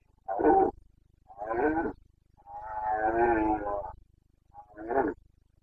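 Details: Roaring Carpathian stag in the Bucovina mountains during the autumn rut: four guttural, harmonic-rich bellows, a long drawn-out roar in the middle flanked by shorter blasts, with faint low hum beneath.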